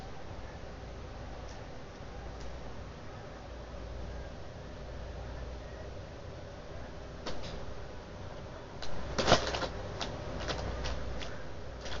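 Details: Quiet indoor room tone with a low hum, then a few knocks and clatters like a door or cupboard closing, with no animal sound.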